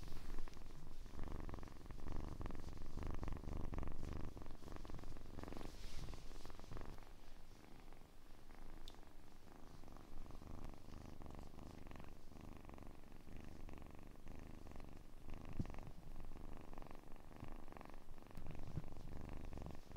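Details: A kitten purrs softly and steadily, a quiet low throbbing rumble with rapid even pulses, plus a faint brief rustle partway through.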